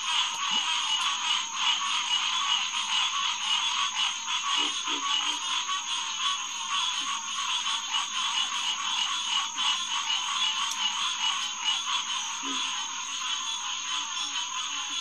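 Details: Green tree frogs (Hyla cinerea) calling in chorus at the Headquarters Pond, SMNWR, on a June night around 9–10pm; a dense, continuous wall of overlapping nasal honks, with a few lower croaks from other frogs underneath.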